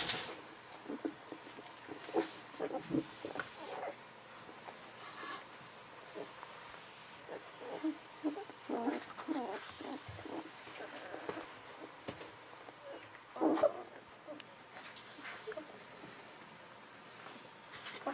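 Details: Very young Golden Retriever pups, aged 11 to 13 days, from the litter of Aiko of Haarby and Lady Dina, making faint intermittent squeaks and grunting whimpers, with a louder squeal near the end amid handling noises.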